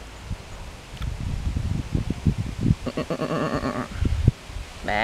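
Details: Dutch sheep resting in the shade of a meadow beside a ditch at the De Koperen Knop museum garden, Hardinxveld-Giessendam, Alblasserwaard, calling back to a person talking to them. A human voice talks first, then one long quavering, wavering bleat, and another begins at the end.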